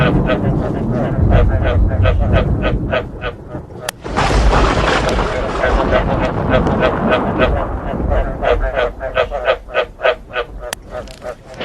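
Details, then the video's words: Frogs croaking in a recording mixed with thunder, meant to be played to make frogs want to breed; rapid, regular, pulsed croaks repeat about three times a second, broken by a loud rumbling thunderclap near the fourth second, then the croaking resumes. "เสียงกบ เสียงฟ้าร้อง เปิดให้กบอยากผมพันธุ์"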